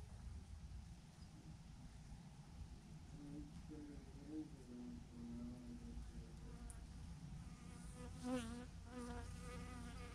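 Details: Massive clump of thousands of bees on a branch, a dense low drone with individual bees zipping close by in wavering, buzzy whines that rise and fall, loudest near the end.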